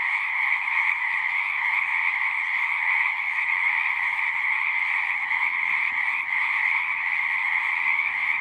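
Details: Many frogs singing together in a constant high, pulsing trill, steady throughout, over a soft low rumble of background noise.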